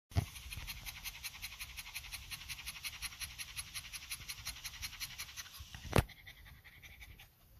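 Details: A male pug, tired after a walk and still getting used to walking, pants quickly and steadily, with breathy huffs several times each second.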